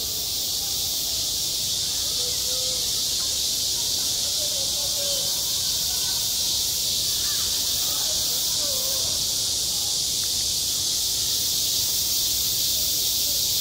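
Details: A long stretch of cicada song on a summer school playground: a constant, sizzling high drone holding level throughout, with scattered faint voices in the background.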